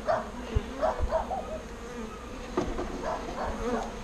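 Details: A colony of bees being transferred from a birdhouse into a proper bee box gives a low, wavering buzz that swells in short pulses, with a few dull thumps and knocks from the work.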